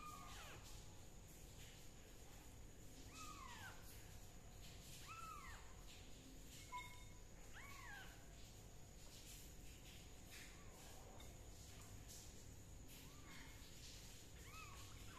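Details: Kitten under treatment for fungus using leaf juice meows repeatedly, about seven short arched cries spaced one to two seconds apart, fading toward the end, with constant low background noise.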